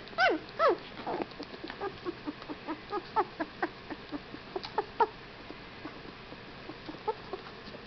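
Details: Whippet puppies, 15 days old, giving a run of short high squeaks and whimpers, two louder yelps at the start, then quicker fainter chirps that keep coming at an uneven pace of roughly two a second.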